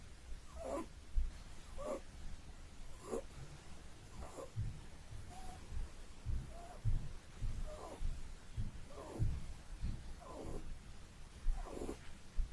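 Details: A sleeping Holland Lop rabbit snores in a gentle, fairly even rhythm, one short breathy snort about every 1.2 seconds, each a faint wheezy rasp above a constant low background hum.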